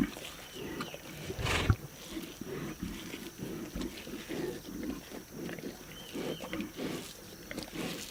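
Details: Lions at a zebra carcass, eating; a steady run of low, throaty growls and grunts with chewing and tearing noises, a sharp snarl early on, and faint whistled bird calls behind.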